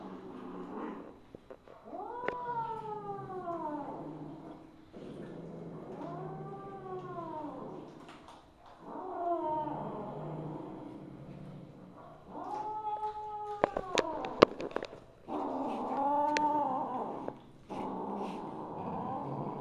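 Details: Misu, a Siamese mother cat (Wichienmaat), evening of 2 January 2015, calling repeatedly with arched, wavering meows about every two to three seconds, each rising and dropping in pitch, with light tapping and rustling noises between calls.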